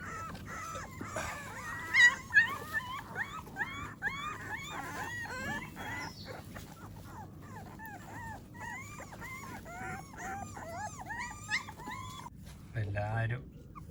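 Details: A litter of American Pit Bull Terrier puppies on the lawn after breakfast keeps up a long, overlapping stream of high, arching whimpers and yips, dense in the middle, with a short human sound near the end.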